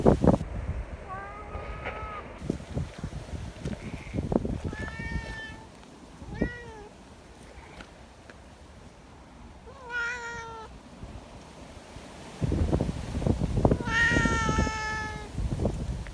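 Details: Affectionate community cats gathering outside on a windy day, eager to be petted; repeated meows, some rising and falling, a few short and one long bright call near the end, with wind roar.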